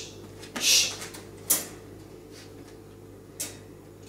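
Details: A few sharp rustles and knocks sound over a steady low indoor hum, with no animal voice.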